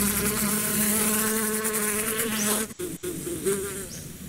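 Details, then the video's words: A bee's buzz offered for meditation: a steady, close droning hum with layered harmonics, slightly wavering, then breaking off briefly before resuming more softly. "Relax with the sound of the bees"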